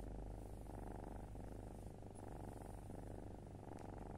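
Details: A black foster kitten purrs steadily, a low continuous rumble with a fast pulsing texture, its last purring before moving to its adoptive home, recorded 18 July 2022.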